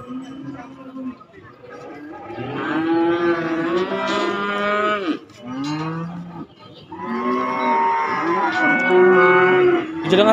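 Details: Young cattle at a market for calves and young bulls: two bouts of strong, harmonic lowing, a short bleat-like moo between them, rising and falling in pitch, with faint crowd noise.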